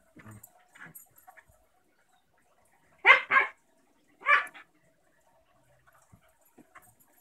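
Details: German shepherd puppy playing with a six-year-old Basenji and pit bull mix sister; two loud, harsh, double-pulsed barks about a second apart, surrounded by soft scuffling and faint thumps of play.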